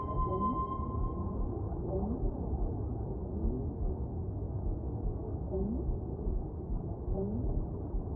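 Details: Whale song set against a constant deep underwater rumble: short, low rising moans repeat roughly every second, with a thin steady tone at the opening.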